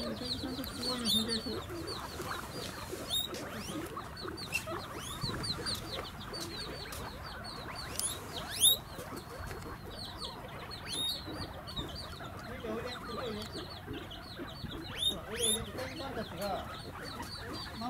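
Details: Squealing guinea pigs beg for food at Chiba's Ostrich Kingdom Sodegaura Farm, Japan, 10 December 2018. Steady shrill upswept squeaks from many animals, with occasional louder piercing whistles and faint human voices underneath.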